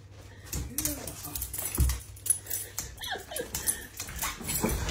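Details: Four-year-old blind female Vizsla reunited with her owner after he spent a week in hospital, whining in short, bending whimpers between a man's excited speech indoors.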